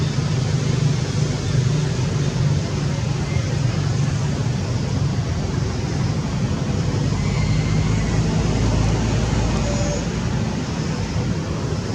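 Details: Constant loud low rumble like traffic or an aircraft engine fills the whole stretch, with no animal call heard.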